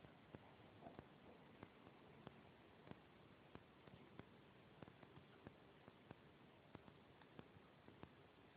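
A corgi puppy hiccups, soft short clicks repeating about every two-thirds of a second.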